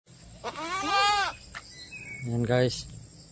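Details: Saanen goat, a pregnant doe, giving two loud nasal bleats: a long wavering one followed by a shorter, lower one about a second later, with a person talking nearby.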